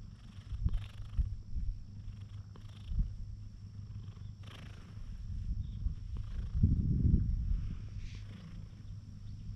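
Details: A quiet sunbathing cat purrs as it is thoroughly petted. A low vibrating drone holds throughout, overlaid by uneven thumps and rubbing from the hand, which grow louder around seven seconds.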